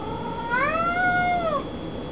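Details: Domestic cat calling for attention, a habit it shows at the door or while resting; one drawn-out meow lasting about one second, rising then holding steady before falling away at the end, in a quiet room.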